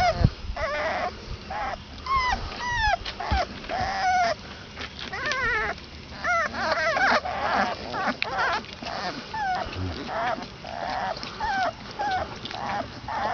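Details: Chorus of 22-day-old Basset Hound puppies squealing and whining, many wavering high-pitched cries repeated almost continuously, some quavering and bending up and down, over faint rustling of small bodies moving.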